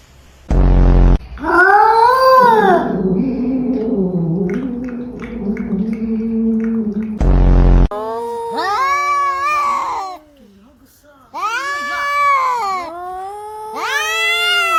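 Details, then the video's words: Fighting cats: a long wavering low moan, then a run of short rising-and-falling yowls repeated in quick bursts, broken by two loud low knocks. "Cat Fighting"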